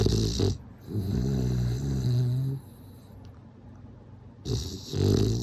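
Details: Sleeping bulldog snoring: long, low, rumbling breaths with harmonic bands, each lasting about two seconds, separated by quiet pauses, with a raspy rattle through each inhale.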